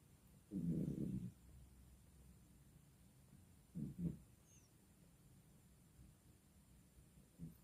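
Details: Snoring kucing kampung, a village cat: a long, rasping low snore at the start, a double snort a few seconds later, and a faint short puff at the close, separated by near-silent breathing gaps.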